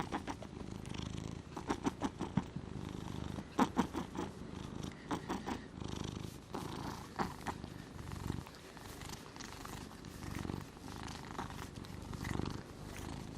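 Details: Domestic cat named Gnusmas snoring while asleep, recorded August 2020; soft, low rhythmic breathing rasps with repeated pulses, purr-like, in a quiet indoor room.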